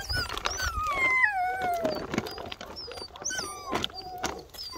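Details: Two-month-old Bernese Mountain Dog puppies whining, with high, thin whines sliding downward in pitch and overlapping, plus shorter yelps and squeaks scattered through the few seconds.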